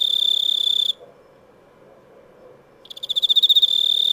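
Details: Cricket giving a shrill continuous trill that cuts off into near silence for about two seconds, then restarts with quick pulses building back to a steady ringing note.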